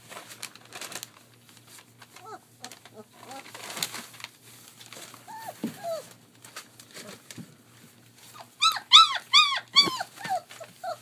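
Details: Three-week-old German Shepherd puppies at play at a kennel in Mayo, Florida: soft scattered yelps and squeaks with shuffling, building to a loud rapid series of high, falling whines and squeals near the end.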